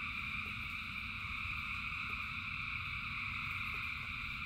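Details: Massed frogs sing through the rain, their steady overlapping trills blending into one unchanging hum above the low patter of rainfall.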